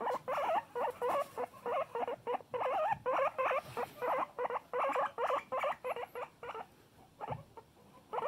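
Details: Pet guinea pig calling loudly: rapid strings of short, squeaky pulsed notes, several per second, steady in pitch, continuing in bursts with brief pauses, fading toward the end.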